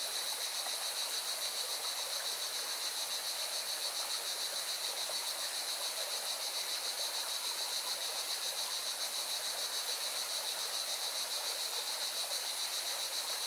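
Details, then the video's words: Singing cicadas at a mountain river in Spain's Valencia region produce a sustained, piercing, finely pulsed buzz, steady from start to finish, layered over the river's constant rushing noise. "Певчие цикады и шум горной реки"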